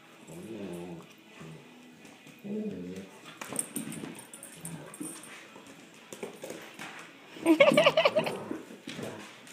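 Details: Two foster puppies, Rhythm and Novak, play-fighting with a patient golden retriever named Charlie in Red Deer, Alberta, Canada; low rumbling growls and whines come in short bursts, rising to a louder yelping flurry near the end.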